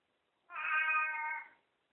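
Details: Katy, a talking pet cat, greeting after she wakes up: one long steady meow of about a second, rich in stacked harmonics, in a quiet room between a person's questions.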